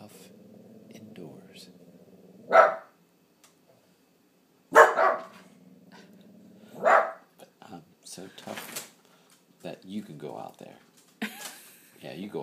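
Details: Indoors, a Boston terrier frenchton acting as watchdog lets out three sharp, spaced barks over a low continuous growl, after which people talk and laugh in a small room.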